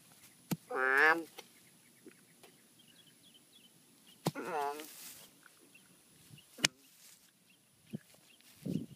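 An American bullfrog gives two drawn-out, wavering, howl-like calls, each about half a second long.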